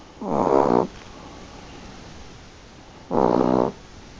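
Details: Sleeping Chihuahua snoring: two harsh, buzzy snorts, each under a second long, about two and a half seconds apart, with quiet breathing between them.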